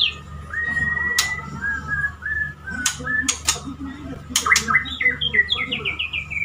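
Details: Male white-rumped shama courting a female, kept as a pet, gives soft slurred whistles, then a run of rapid descending chirps, interrupted by several loud clicks and knocks.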